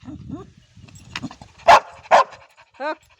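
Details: Ruby the Labrador Retriever "talking": low murmuring sounds first, then two loud clipped barks in quick succession, ending with a short tonal whine.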